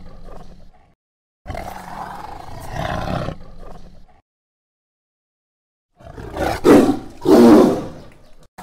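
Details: Tiger roaring in deep jungle: a long, rough, breathy roar followed after a gap by two louder, harsher bursts, each cut off by abrupt total silence.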